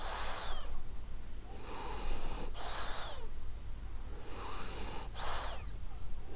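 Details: Ariva the French Bulldog asleep, giving soft rhythmic snores: breathy wheezes with slight whistling tails, three or four breaths in a row, gentle and even.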